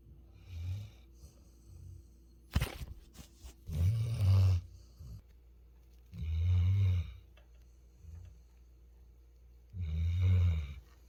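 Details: Sleeping Labrador Retriever Futu from Jeju, South Korea, gives slow, guttural snores roughly every three seconds, each a low rasping rumble near a second long; a brief sharp knock sounds early on in the otherwise quiet room.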